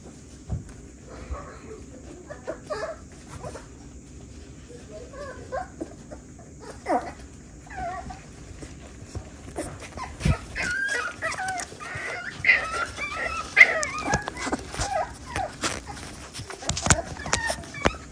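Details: Litter of six-week-old West Highland White Terrier puppies: soft scattered whimpers early on, then a burst of high, squeaky yips and whines in the middle, with thuds and a person speaking.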